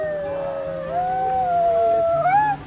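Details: A dog who loves singing along to music howls with his owner, giving a long, smooth howl that holds steady, then rises and bends upward at the end; as a puppy his voice was raspy and squeaky.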